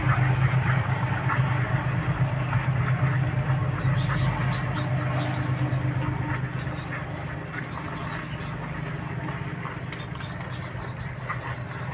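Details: A steady low engine idling hum fills the recording, with faint voices and clatter on top and no animal calls.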